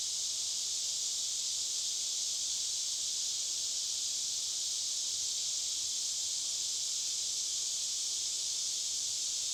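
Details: Deep-forest cicadas, recorded after a hike of a few miles, fill the air with a constant shrill electric-sounding buzz that neither rises nor falls.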